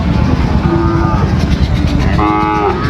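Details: Sahiwal bull calves at Ambari cattle market, Dinajpur, Bangladesh, 26 September, as trading begins; two short lowing moos a second apart over heavy low engine rumble and market voices.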